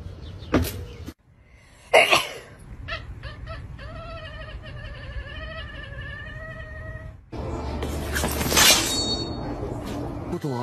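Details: Cat gives a drawn-out, wavering meow of about three seconds with rich overtones, preceded by short clicks and thumps and followed by loud noisy rustling.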